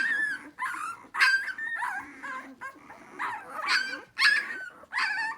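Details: A litter of hungry puppies waiting for their mother keeps up a busy chorus of short whines and yips, overlapping and uneven, several calls per second at times, with quieter murmurs between.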